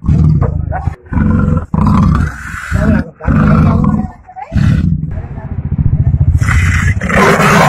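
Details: Caged man-eating tiger, said to have killed nine people, trying to pounce after capture; deep, rasping roars in repeated bursts of about a second each, with voices mixed in.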